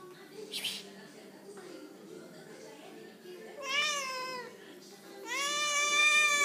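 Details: Kitty giving two rising, harmonic meows, the second louder and longer, after a stretch of quiet room noise with a brief soft sound.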